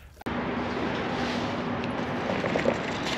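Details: A sudden start into a steady vehicle engine drone with a constant low hum fills the whole recording, with no animal voice.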